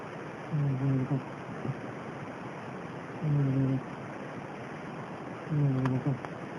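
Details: A sleeping house cat snores in slow, even rhythm, three low rumbling breaths about two and a half seconds apart, each with a brief double pulse, against constant background hiss.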